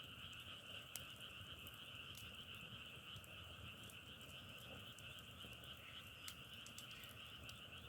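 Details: Unbroken frog chorus, a massed high buzzing trill that holds steady, with occasional sharp clicks over a low rumble.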